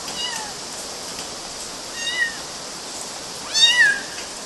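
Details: Kittens in Galati, Romania, in June 2012, climbing on mosquito nets, give three thin, high mews, each with a short rising-then-falling pitch. The first two are faint and the last is loudest, near the end.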